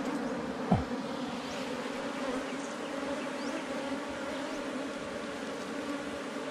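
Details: Wild honey bees at a hive found under rocks in the forest, disturbed during honey collection: a dense, steady droning hum with a low tone and its overtone, plus a brief sliding swish early on.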